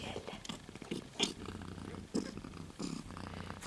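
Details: Purring from young Siberian kittens, silver females two to three weeks old, in a litter: a low buzzing rumble that rises and fades in irregular waves, broken by a few sharp clicks and light rustling.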